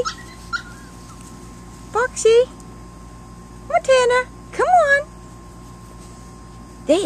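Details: Three young Chihuahua pups exploring grass outdoors for their first time. They give loud, sharp yips and rising-then-falling whimpers in quick clusters, with a person encouraging them nearby.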